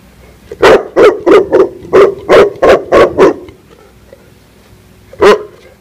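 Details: Female Tibetan Mastiff barking in attack mode, a run of eight loud, deep, evenly spaced barks about three per second, then a pause and one last bark.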